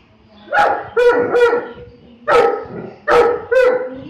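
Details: Deep, rough barks from a Saint Bernard dog, one run of three, then a single bark, then a closing pair, each bark short and forceful over faint background hum.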